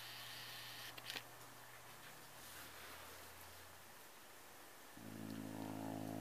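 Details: A pet cat growls over Kleenex it is chewing indoors. After a stretch of quiet rustling, a low, steady, rumbling growl with layered overtones begins and holds to the end.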